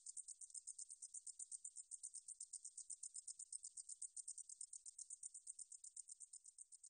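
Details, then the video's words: Meadow katydid (등줄어리쌕쌔기) song, National Institute of Biological Resources, 2020: a shrill, unbroken chain of fast rhythmic clicks forming a high sizzle for nearly seven seconds, clean and without other noises. "등줄어리쌕쌔기, 여러번 듣기, 곤충소리"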